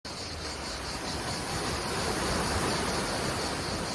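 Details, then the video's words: Cicadas in full force at Menton on the French Riviera, France: a steady, high, buzzy drone with a faint rapid pulsing throughout, layered over the broad, continuous roar of crashing sea waves. "crashing waves and cicadas"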